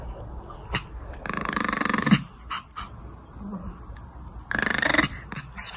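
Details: A Pomeranian, concerned about an injured companion Pomeranian with a broken bone, gives two raspy, breathy grumbling bursts separated by a few quiet seconds.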